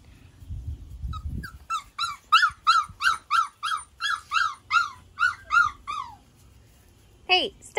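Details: Four- and five-week-old British Labrador Retriever puppies from two litters, black and yellow, whelped in May 2020: a run of about a dozen high, arching whines repeated roughly every third of a second, with a person speaking briefly before.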